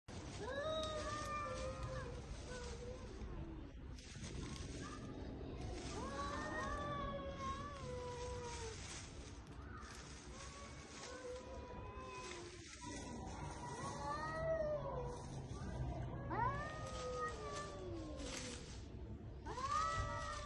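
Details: Stray cats fighting in spring, a showdown: long drawn-out wavering yowls rising and falling in pitch, overlapping in a continuous harmonic-rich stream with short breaks, over steady low background rumble.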